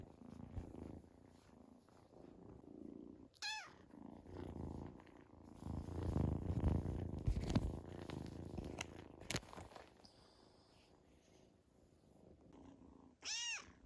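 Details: Two-month-old female Scottish Fold kitten, newly brought home, on her first exploration of the living room. A soft, low, continuous purring rumble, quiet and steady, broken by brief sharp high sweeping squeaks near the start and the end.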